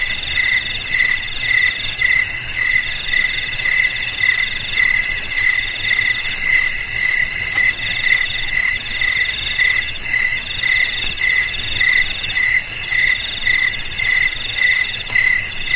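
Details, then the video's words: Cricket chorus played to frighten rats: rapid, insistent high chirps pulse about twice per second over a sustained piercing whine, steady and unvarying throughout. "Suara JANGKRIK Pengusir TIKUS Paling Ampuh untuk di Rumah,Garasi,Gudang,Sawah Agar Aman dari TIKUS"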